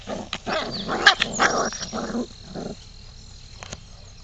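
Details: Labrador cross puppies at five weeks old make a cluster of short whining, grumbling yelps over two seconds, overlapping and uneven, then fade to quiet background rustle with a couple of clicks.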